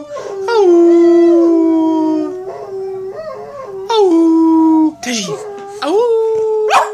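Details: Boston Terrier, a female dog learning to howl indoors, gives long drawn-out sliding howls of about two seconds, rising then settling, interleaved with a person's crooning 'ooh' sounds and encouraging speech.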